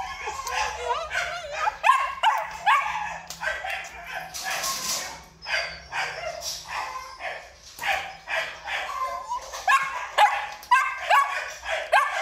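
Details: Male Belgian Malinois from a Vietnamese dog-breeding kennel, barking and yipping in rapid, excited volleys with high whining tones, some human speech and a low hum underneath.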